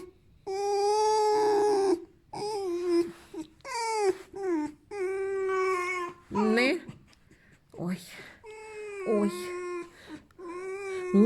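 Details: Pet fox Alf, content but demanding petting and hugs, gives a run of squeaks: sustained whines alternating with short, wavering and bending notes. A woman's voice speaks among them.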